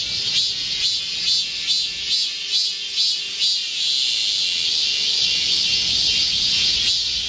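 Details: Korean cicadas singing together in a midsummer green forest on 25 July 2024 amid a heatwave; pulsing high buzz swells roughly every three quarters of a second, then merges into one continuous shrill drone.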